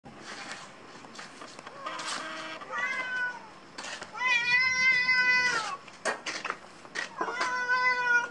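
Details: Cats meowing at lunch time indoors: short mews, then a long, steady, drawn-out meow, then a further meow near the end, with light clatter and rustling between calls.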